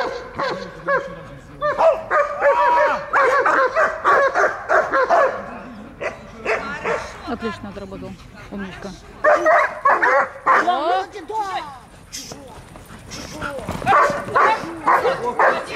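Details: German Shepherd in guard training at Dyukovsky Park, Odesa, 9 July 2022, barking in rapid volleys after an attack command, with a pause and human voices between the bursts.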